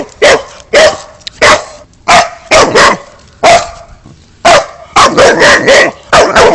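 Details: Boxer dog giving a run of loud, rough barks, spaced at first, then bunching into fast volleys of four or five barks toward the end.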